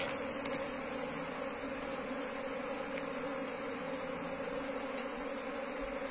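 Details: Asian honey bee (Apis cerana) colony, wild bees being transferred into a cultivation box, giving a continuous droning buzz with layered steady tones and no pauses.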